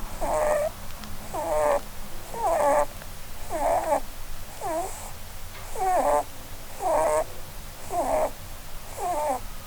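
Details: A sleeping, dreaming Holland Lop named Blueberry snores beneath a Christmas tree: nine evenly spaced, whistly nasal squeaks, each curving downward then up, repeating roughly every second with her breathing in a quiet room.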